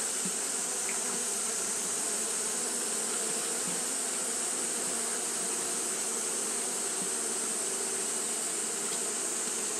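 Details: Hot-day fanning by Japanese honey bees gives an unbroken droning hum, low tones steady beneath a bright hiss, with a few faint ticks scattered through.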